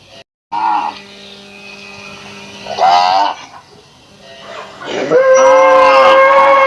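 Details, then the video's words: Cows from a village in Assam, India; two short, rising moos, then a longer, louder drawn-out moo at the end, over steady background tones. "Cow sounds effect moo"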